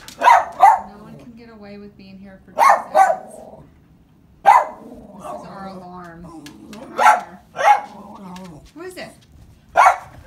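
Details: Husky barking in short loud bursts as someone pulls up to the house, about eight sharp barks in groups of one or two, with a person talking between them.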